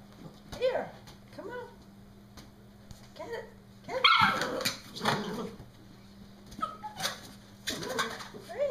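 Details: Brody, a pet Norfolk Terrier, shrieking while playing with his balloon: short high yelping cries and whines in scattered bursts, with a louder broadband burst near the middle and a steady low hum throughout.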